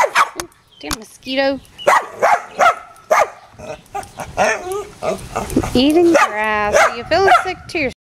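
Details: Dogs at play, a pit bull and a mutt; scattered barks and drawn-out whining yelps over excited human speech.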